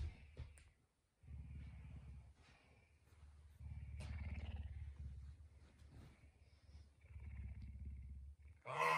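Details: Early-morning pet puma waking its owner at home; bursts of deep pulsing purr broken by short silences, with quiet speech and a sharp rustle at the end.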